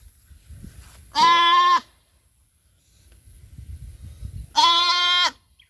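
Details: Mother goat on a small farm, having lost her kid, calls out: two strong, nasal, harmonic bleats each lasting over half a second, separated by a few seconds of quiet rustling.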